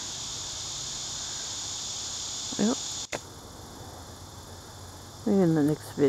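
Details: Crickets in thick forest in Crossville, Tennessee, on a hot, humid midsummer July 2015 evening, keep up a steady, high, shimmering chorus, with brief human speech.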